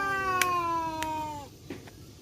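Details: A male village cat in a standoff with another male, black and striped, in a forest, giving one sustained, slowly falling yowl of about one and a half seconds, with a few sharp clicks and knocks around it.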